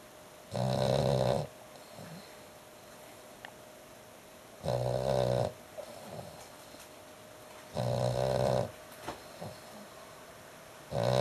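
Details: Very loud dog snoring, three full snores about every three and a half seconds, each a rasping, buzzy drone close to a second long, with soft breathing and faint ticks in the quiet gaps.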